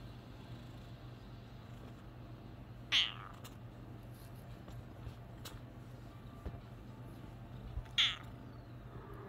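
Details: A male Bengal cat just waking from a nap gives two brief, high, clear meows about five seconds apart against a low background hum in a quiet room.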